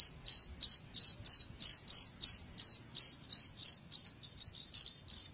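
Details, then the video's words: Cricket sound meant to repel household rats: a brisk, even series of shrill chirps, roughly three each second, the last few running closer together into a near-continuous trill. "SUARA JANGKRIK Pengusir Tikus"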